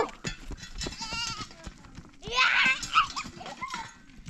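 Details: Goats in a mountain village in Sama Valley bothering a young girl, giving wavering, quavering bleats, one loud drawn-out cry midway, mixed with close people talking and clattering sounds.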